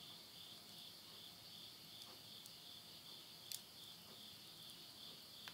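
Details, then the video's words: End-of-summer insects calling at midnight, September 2020, in rural Yurihama, Tottori, Japan: a continuous high-pitched trilling band that pulses gently, with a few snapping pops from wood burning in a stove. "the voice of insects"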